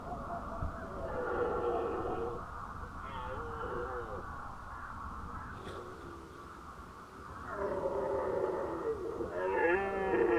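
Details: Red deer stags during the 2019 rut in Nationalpark Unteres Odertal; deep, drawn-out harmonic roars rise and fall in two main bursts, with a quieter, broken bellow between them and a steady low rumble underneath.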